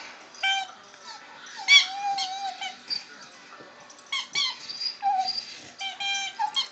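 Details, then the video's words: Pet dog making unusual funny noises while playing with his toys indoors: a series of high, squeaky whines and yelps in short bursts, some drawn out and wavering, with quiet pauses between. "Chewie Funny Noises Final"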